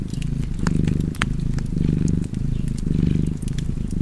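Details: Low rhythmic purring of a cat, rising and falling with its breathing roughly every second, accompanied by intermittent crackling from a fireplace.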